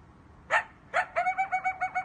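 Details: Coyote at night: two sharp barks followed by a run of quick, even yipping notes, about six per second, with a steady tonal quality.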